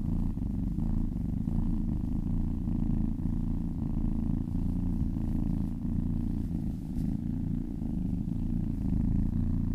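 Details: Low rumbling purr from a cat being massaged, continuous and dense with a soft rhythmic flutter, loudness holding steady throughout with only slight dips.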